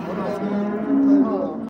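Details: Cattle in Kars, Turkey, from a purchase of about 150 head bound for Mardin: one steady, low, droning moo lasting under two seconds, which ends abruptly.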